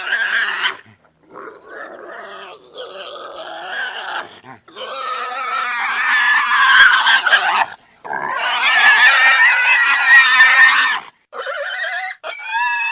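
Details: Pig squealing in long, harsh, shrill bursts of two to three seconds, broken by short pauses, with wavering tonal bands and a few shorter cries at the start and end.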